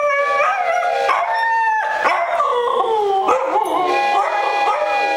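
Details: Siberian Huskies howling together, several long wavering tones overlapping in a rising and falling chorus, with strong harmonics and steady loudness throughout.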